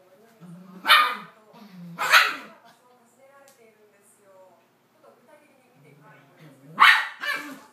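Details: Male toy poodle calling to his mate, who has shut herself in during a quarrel between the pair; a few loud sharp barks with softer whining and low murmurs between them.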